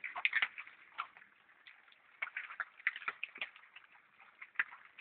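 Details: Wild boar (Sus scrofa) being fed acorns collected by schoolchildren in Hagen-Hohenlimburg, smacking with enjoyment while they eat: a run of sharp, irregular clicks, chewing and wet crunches.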